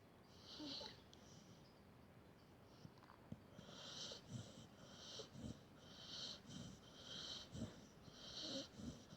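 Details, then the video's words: Sleeping pet dog giving soft wheezy snores, airy hissing breaths repeated about every second, with faint low snorts underneath in a quiet indoor space. "My Dog Snoring"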